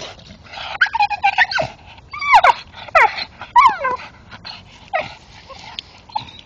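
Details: A male Staffordshire Bull Terrier gives excited, high whines and yelps that swoop up and down while chewing a tree stump in the dark.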